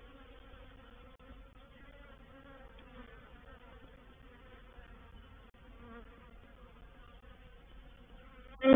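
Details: Swarming honey bees settling into a bait hive, 04/07/21: a soft, constant multi-bee hum with a clear tonal drone throughout, ending in a sudden loud close buzz as one bee passes near.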